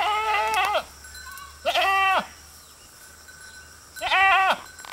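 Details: A herd of goats grazing beside a road bleat in loud, wavering cries, three calls spaced a couple of seconds apart.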